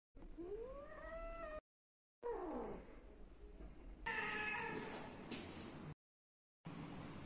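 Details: Siamese cat from a home with more than 25 cats, giving a long rising harmonic meow, then a shorter falling cry and a brighter, strained wail after a break, with brief silent gaps between the segments.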